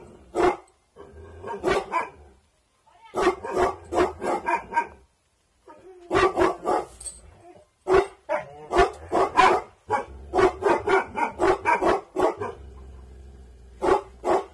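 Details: Dabu Goli, a Bhotia dog of aggressive bloodline on night guard, gives sharp repeated barks in clustered volleys with brief pauses, a faint low drone underneath.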